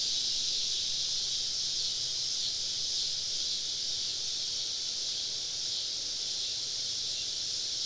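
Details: Summer evening chorus of many cicadas deep in southern woods during a camping trip, heard as a continuous shrill buzzing wash that swells very slightly but never pauses.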